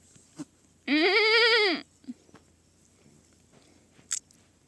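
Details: Baby goat uttering a single sustained, wavering bleat of about one second, followed by faint chewing and clicking noises.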